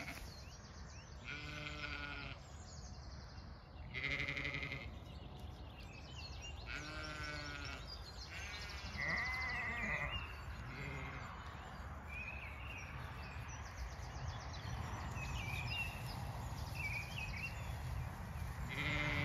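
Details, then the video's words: Farm lambs in County Kilkenny, Ireland, calling at dawn: repeated wavering bleats, some nearer and some farther, spaced a few seconds apart among bright whistled birdsong of the dawn chorus and a low background hum. "Dawn chorus, flowers& lambs"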